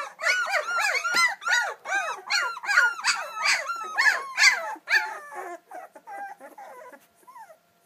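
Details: Hungry two-week-old English Springer Spaniel litter calling for their mother, giving rapid overlapping squeals and whines, arched and wavering in pitch, steady for five seconds and then thinning to a few faint squeaks.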